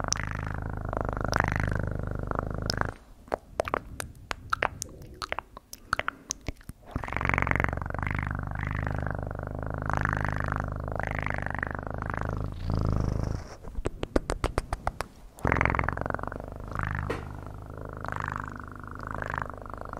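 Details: Domestic cat purring close to the microphone, a low rattling rumble rising and falling with breath, broken by two stretches of sharp tapping and clicking handling noises.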